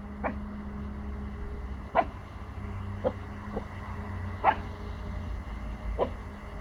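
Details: Pomsky puppy, four months old, guarding his territory, unsure of noises from next door: six short, fairly quiet barks scattered irregularly over several seconds, over a constant low background hum.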